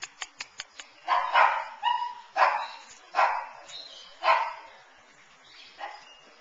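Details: Puppies of Pearl and Flash at nine weeks old, recorded on September 20, 2009, give a run of about seven high, harsh barks at irregular gaps, some quick and paired, fading toward the end, after a few opening clicks.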